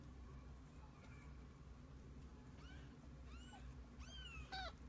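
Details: Mother cat and kittens together for the day; a series of short, high mews grows louder and more frequent toward the end, above a steady low hum.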